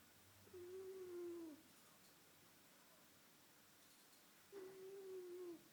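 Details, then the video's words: Sleeping domestic cat snoring indoors: two thin whistled tones, each sliding gently downward and lasting about a second, heard four seconds apart with each breath, against a quiet background. "My cat, sleeping and snoring"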